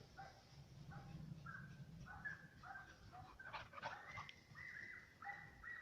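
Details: German Hunting Terriers Mibun and Anja von Jagdwald give distant, high yelping barks, short tonal notes repeated irregularly over a low rumbling background, with a louder burst of cries midway.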